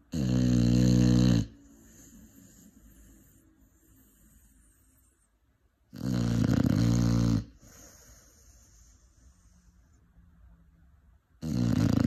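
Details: A 5-month-old Cane Corso pup asleep, giving three long, loud, throaty snores spaced about five seconds apart, each a coarse rasping rumble with soft breathing between.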